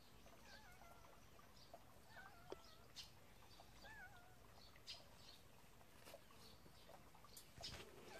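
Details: Kitten from a warehouse cat family, playing with a mole: three soft, wavering high mews spaced about two seconds apart, each bending up and down, over rustling, scattered clicks and light background noise.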